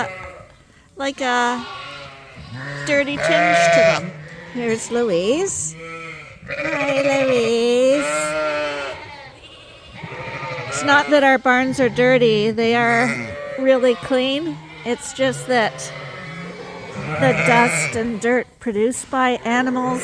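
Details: Suffolk lambs at Ewetopia Farms, several groups mixed together in the barn after escaping through an open gate, bleat almost constantly: overlapping quavering cries of varied pitch with barely a pause over twenty seconds.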